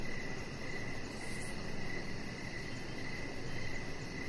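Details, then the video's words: Outdoor evening crickets near a deck where a chihuahua rests; a thin high chirping pulses on and off under a loud, continuous noisy background. "Cricket Sounds"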